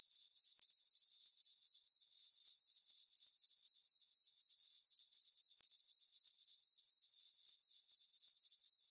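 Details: Night-time crickets in a meadow on a farm, full moon, summer: rapid regular high chirps, roughly four a second, forming a constant ringing trill with no background noise.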